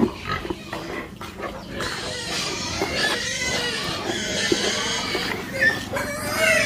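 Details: Pigs on a farm kept for livestock, with piglets mentioned, giving loud harmonic squeals and grunts that overlap almost continuously, rising and falling in pitch, over a steady low background hum.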